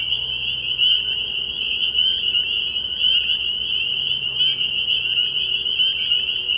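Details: Nighttime frog pond in early spring, packed with spring peepers: sharp, high-pitched peeps pile into an unbroken ringing chorus, a few louder individual notes standing out above the steady mass.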